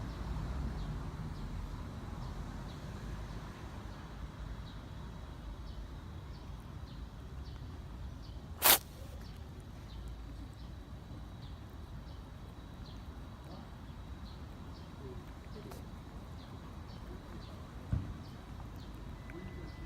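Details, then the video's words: Ginger street cat with a cold, showing possible herpes symptoms, laboured breathing and a runny nose: one sharp, explosive sneeze bursts out midway, set against a steady low outdoor rumble and faint, regularly repeating high ticks. "고양이가 재채기 하는 순간"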